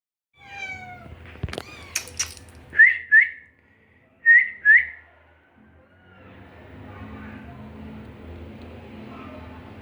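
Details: Persian cat, with a kitten, in Gujranwala: a short descending meow opens, then a few clicks, four brief high upswept chirping notes in two pairs, and a steady low hum to the end.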